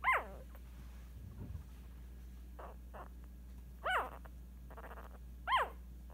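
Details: At 8 days old, a female Scottish Terrier puppy squeals three times, sharp arched cries rising and dropping, separated by soft snuffles and a steady low hum.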